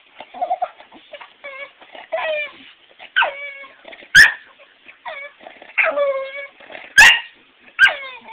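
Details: Female bulldog whimpering in protest at not being allowed on the bed while staying away from home over Thanksgiving; drawn-out, wavering whines rising and falling, broken by a few sharp, abrupt yips.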